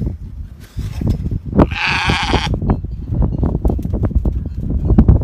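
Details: A single wavering, nasal bleat about a second long from a Meatmaster sheep in South Africa, set against steady low thumping and shuffling from the livestock.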